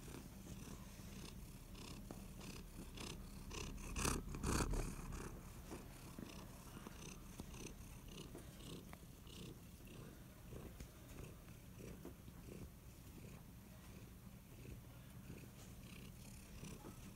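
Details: Soft, continuous purring from a kitty cat, a low buzzing rumble that pulses in slow even cycles under a hiss of background noise, with one brief louder rustle near the four-second mark.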